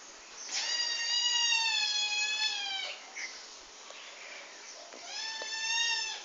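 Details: Aggressive little male kitten attacking a pet dog at home: a drawn-out meow lasting over two seconds, then after a pause a shorter rising meow, with faint hiss and small rustles between.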